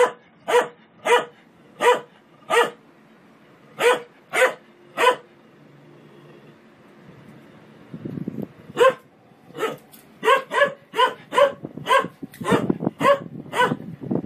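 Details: Pet dog barking in steady sharp barks roughly every half second, a short pause, then faster, more excited barking mixed with low rumbling and scuffling toward the end.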